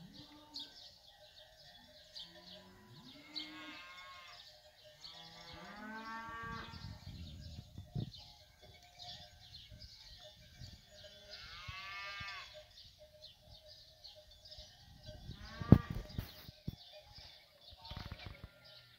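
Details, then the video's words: Fighting bulls of a ganado bravo herd while eating; deep drawn-out moos with bending harmonics rise and fall near 1, 6 and 12 seconds, over a steady background of small bird chirps and a sharp clatter around 16 seconds. "ganado bravo toros comiendo"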